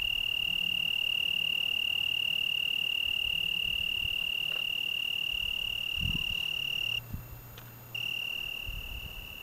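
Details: Italian tree cricket singing on a June evening in the Algarve, Portugal: one unbroken, steady high-pitched trill held without pause, briefly dropping out near the end, with faint low rumble beneath.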